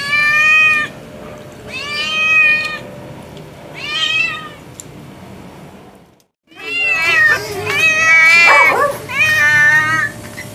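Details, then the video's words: Khunka, a pet cat described as a very sweet talking cat, gives a series of drawn-out meows with bending, chattering pitch, several in a row separated by short pauses, over a low indoor hum. "Talking Cat (Khunka)"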